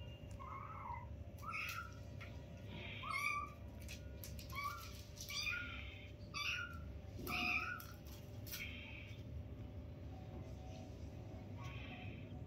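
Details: Newborn kittens, five in the litter, playing with their mother at a first meeting: a run of short, high, arched mews repeated about every second, some overlapping, over a steady low electrical hum.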